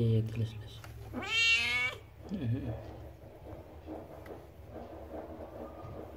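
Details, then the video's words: Cat about to give birth, kept in a village home, utters a single strained, wavering meow lasting under a second, followed by faint human voice and low background rumble. "Suara Kucing Mau Melahirkan"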